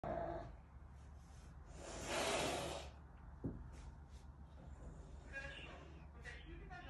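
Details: A half-caracal cat gives a harsh, breathy hiss lasting under a second while playing, hissing at an older man to say "go away", as people talk nearby.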